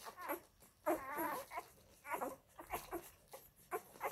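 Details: Labrador Retriever puppies of the F litter at their mother Molly's milk bar. They give quick squeaks and a loud wavering squeal near one second, followed by scattered short yelps among shuffling.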